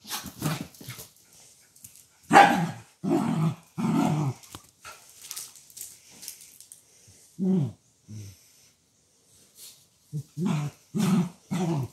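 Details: Schnitzel the Dachshund, inside on a rainy day, barks in short bursts: a run of about four barks early on, a single bark near the middle, then three quick barks to close, with quiet rustling between.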